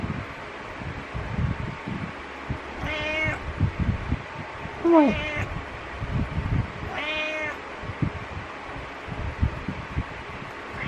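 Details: Cat Butters giving morning meows and headbutting to rouse the owner; three harmonic meows spaced about two seconds apart, the middle one with a squeaky downward slide, amid bedding rustles and low room hum.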